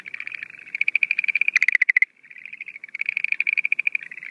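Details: At night early in the breeding season, 17 April 2013, Schlegel's green tree frogs give fast rattling pulse trains, a louder rasping burst in the middle, a short pause, then the steady trill resumes.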